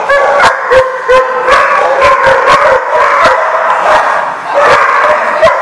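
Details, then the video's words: Dogs barking at a dog lot in December, a rapid run of sharp, loud barks repeated several times a second, overlapping voices from more than one dog, with some whiny yipping tones between. "The Barking Lot"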